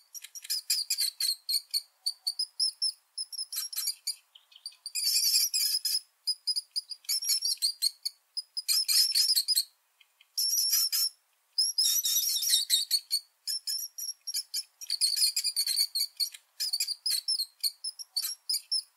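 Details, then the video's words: Rat giving rapid, high-pitched squeaking in dense chattering bursts of several seconds, separated by short pauses, with thin shrill tones throughout and no other sounds. "Ratten Geräusche und Beschreibung 🐀 Rattengeräusch 🔈Welche Geräusche machen Ratten?"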